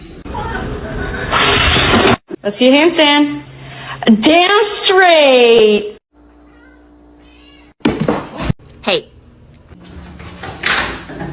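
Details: Domestic cat giving long, drawn-out wavering meows that rise and fall in pitch, two main calls in a row, followed by a short silence and then clattering noise and voices.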